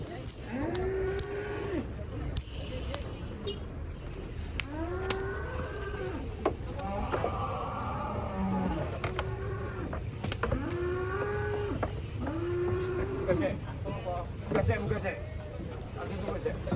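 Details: Large cattle being loaded onto a truck in Indonesia, mooing repeatedly in a series of arched, wavering calls about every one to two seconds over steady low engine rumble.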